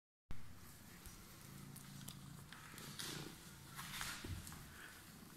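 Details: Domestic cat with emerald eyes that had been waiting, purring steadily: a low, continuous rumbling hum with faint rhythmic pulses, accompanied by scattered rustling and a few brief higher sounds.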